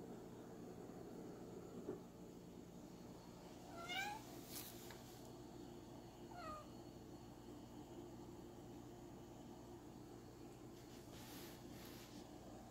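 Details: Manx cat indoors working out how to get treats out; two short, faint, downward-sliding meows about two and a half seconds apart, over a steady low household hum with a few soft knocks.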